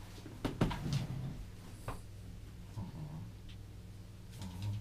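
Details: A Welsh terrier playing with a rope gives low, rumbling growls in irregular bursts, with scattered soft clicks and scuffling indoors.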